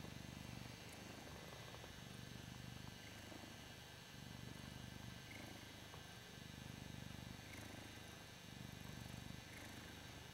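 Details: A male Ragdoll cat purrs loudly while enjoying being adored. The deep, rumbling purr swells and eases in regular cycles of about two seconds with each breath.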